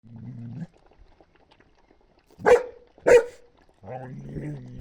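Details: Husky puppies, a month and a half old, vaccinated and up for adoption: two sharp, loud yaps about half a second apart, with low droning voice-like sounds before and after.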